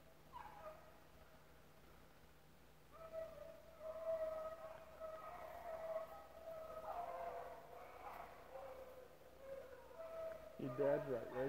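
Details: Rabbit-hunting dogs, a pack with several pups mixed in, running rabbits at the Relay Hunt club; overlapping distant baying and howling rises and falls in long drawn tones, with one closer, louder howl near the end.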